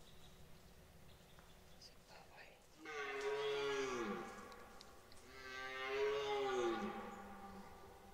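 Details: Red deer stag bellowing during the 2023 rut at Parc naturel de Boutissaint: two long, drawn-out harmonic roars a couple of seconds apart, each swelling then falling away, over a quiet background.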